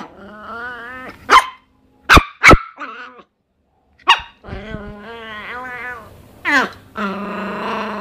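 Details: Miniature Pinscher mixing short sharp barks with whiny, wavering growl-like vocal sounds, several sharp clicks or thumps between them, ending in a sustained rough, strained vocalisation.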